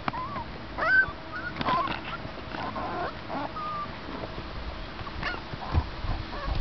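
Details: Seven-week-old American Eskimo puppies whining: thin, high whimpers and short rising squeaks come in irregular bursts, some voices overlapping, over a low background rumble.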